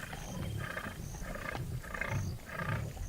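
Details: Lion in wild savanna pride territory, filmed for a wildlife documentary: a series of deep, low grunting roars pulsing roughly every half second, with faint high tonal whistles above.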